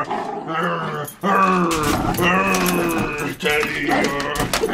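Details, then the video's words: Teddy the dog confronts a vacuum cleaner at home with a series of drawn-out, harmonic howls and grumbling whines in several broken bursts, some rising, others held steady, over faint room noise. "Teddy versus the Vacuum Cleaner!"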